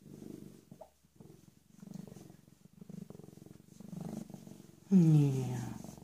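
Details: {'caption': 'Purring from a rescued, recently spayed female cat of about 18 months, a low pulsing rumble rising and falling, ending with a louder brief voiced sound over it.'}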